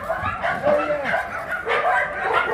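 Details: At a Yangsan, South Korea shelter for abandoned dogs, big dogs out for exercise bark in a crowded, overlapping cluster of short, harsh barks, with a brief whine and some background voices.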